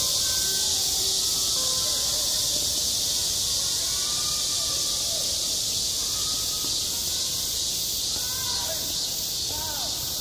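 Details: Cicadas singing at a school playground in midsummer: a dense, unbroken high-pitched buzzing drone with a faint, regular pulsing throughout, over faint distant voices and low background rumble.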